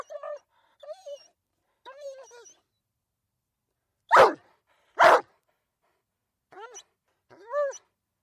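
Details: A dog whines with thin, wavering, tonal cries, breaks into two loud, explosive barks a second apart, then returns to high, falling whimpers.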